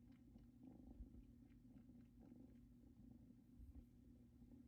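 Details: Two Bengal kittens, Luna and Luxe, settle on a blanket brought from their mother's home, a spot that seems to remind them of her; a soft, steady low rumbling purr continues throughout with faint rustling above it.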